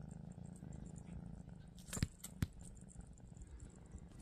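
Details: Lilac Scottish Straight female purring in a low, pulsing rumble of about two and a half pulses per second, interrupted by two sharp taps.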